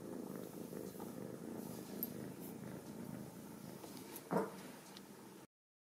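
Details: Home-raised Ragdoll kittens from central Kansas purr in a soft, even, low rumble for about five seconds. One brief louder scrape interrupts it before the sound cuts off.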